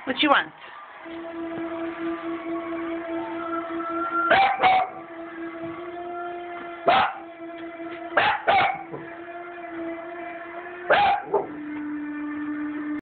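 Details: Pet Cavalier King Charles Spaniel eager to ride in the car: loud single and paired barks every few seconds over a steady droning hum that shifts pitch slightly.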